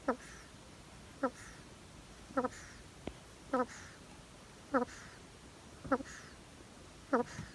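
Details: Snoring of a pet hedgehog: clear nasal squeaks with stacked harmonics, evenly spaced about a second apart, plus a single faint click mid-sequence over quiet room hiss.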